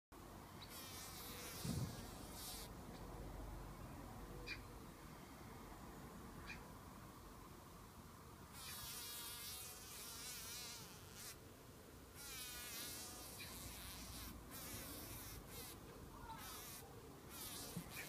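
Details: A bumblebee being captured by a spider buzzes low and steady, the hum rising into louder, pulsing bursts that waver in pitch, over a soft background hiss.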